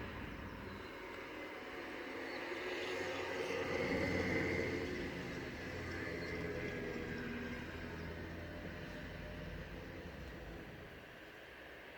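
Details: Outdoor rumble like passing traffic, swelling and fading, with no distinct animal calls.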